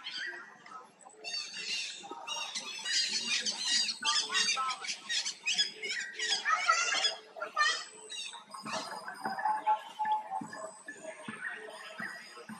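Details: A hurt baby monkey held by a forced buddy, struggling to pull away; it gives harsh, squawking cries with dense stacked harmonics in quick irregular bursts, with quieter broken calls near the end.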